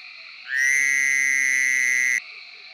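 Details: In Tennessee, a Fowler's Toad utters one loud, flat buzz of nearly two seconds that starts and stops abruptly, the bursting cry compared to a wailing baby or alarm clock, with distant frogs calling behind.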